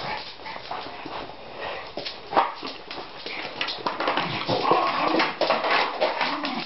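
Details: Schipperkes Justice and Nikki playing indoors with a plastic bottle; a run of rough growls, snorts and yips repeated several times a second, with scuffling and the bottle knocking about in a small room, a voice briefly audible.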